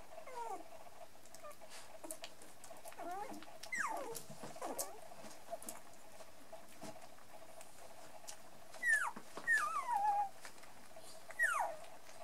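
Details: Dwarf-toy poodle puppies, 3½ weeks old and brown except one black, squeal and whine while playing: sparse faint squeaks early, then sharper, louder rising-and-falling squeals clustered near the end, with scuffling noises.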